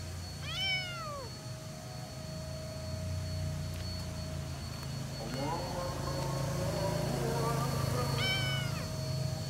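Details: Feral black cat at a feeding, meowing twice, at the start and near the end. Each call is short and bright and falls in pitch. A softer rising sound comes mid-way over a steady background hum and low rumble.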